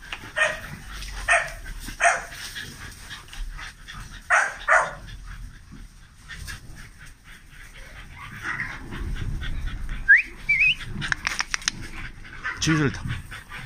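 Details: Large kennel dogs in Romania giving loud, deep, separate barks, about five in the first five seconds, followed by quieter rustling, clatter and a brief high squeak over a low hum.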